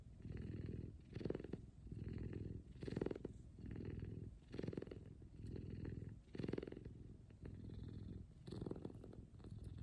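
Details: Big F2 Savannah cat named Kumba, cuddling in the morning, gives a loud contented purr: deep buzzing rumble rising and falling in steady breath cycles about every two seconds, with brief brighter bursts between them.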